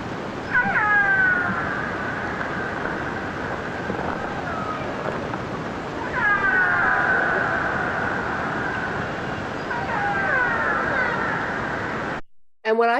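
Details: Soft, mellow, soothing call type of a killer whale from British Columbia: three bursts of short upswept pulsed calls with gliding tonal lines, about every four seconds, over constant underwater hiss, ending in a brief cut.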